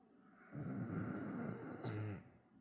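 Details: Sleeping Bull Terrier Chico, fast asleep on a lap, produces a single rough, rattling snore of about a second and a half, low and throaty with a brief higher catch near its end.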